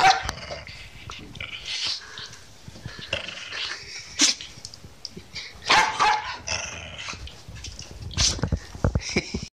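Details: Corgi sneezing when angry, a run of short, sharp, noisy bursts and snorts scattered through the recording with quieter breathy sounds between them.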